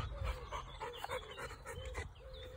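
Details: Honey, a four-year-old chocolate Labrador Retriever, pants on a warm, slightly windy morning walk through a grass field near Rugby, Lincolnshire. Quick rhythmic breaths come about four times a second over a steady wind hum and faint distant birds.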